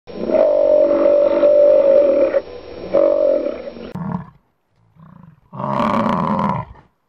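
An American bison gives long, deep, rumbling bellows broken by short grunts.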